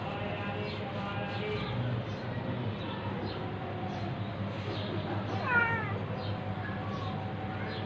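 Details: Tabby cat attacking a ginger cat indoors: a single wavering meow past the midpoint, rising then falling, amid a constant low hum and soft background noise.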